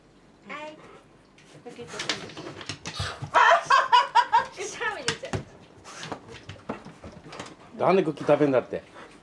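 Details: Two Siberian Huskies fighting over mandarins, gifted from a fellow husky's farm; Ririka gives sobbing, wavering whine bursts in two bouts among sharp clicks, laughter and people's voices.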